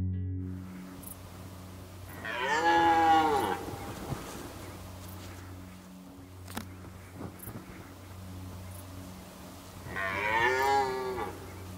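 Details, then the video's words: Red deer during the 2019 rut, powerful roars accompanying mating: two loud, harmonic-rich roars, one early and another about eight seconds later, each roughly a second long, over a steady low hum and scattered faint clicks. "Rykowisko Jeleni"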